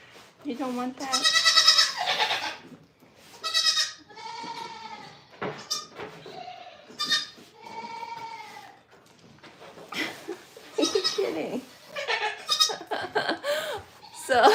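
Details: Farm goats at The Willful Goat Farm & Home bleat repeatedly, each cry a short bright wavering note, with a human voice talking between some of the calls.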